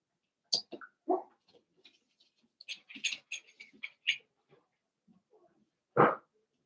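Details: Playing Cavalier King Charles Spaniel puppies after two litters are merged into a group of eight. Scattered squeaky yips and whimpers are followed by a single louder, fuller bark near the end.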